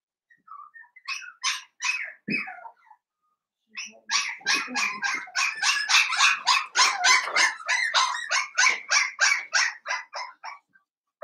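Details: Blenheim Cavalier King Charles Spaniel puppies, a New Year's litter of five, indoors in their pen, start with scattered squeaks and then break into a rapid run of high, sharp yaps, about three every second, lasting several seconds.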